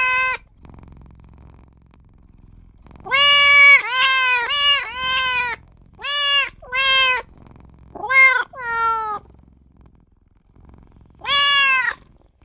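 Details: Newborn kitten crying out for its mother and owner, a quick burst of five or six short high meows, then spaced calls, a downward-bending pair, and one final long meow after a pause.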